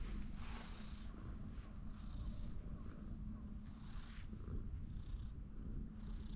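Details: Ginger tabby on top of a fence, begging for more petting, gives a steady deep purr, a throbbing low drone throughout with faint light rustles above.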